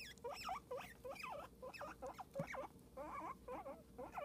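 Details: Loud, bright squeaks from Cosmo the guinea pig, each a quick upward-then-downward chirp, delivered rapidly one after another in an unbroken chattering run.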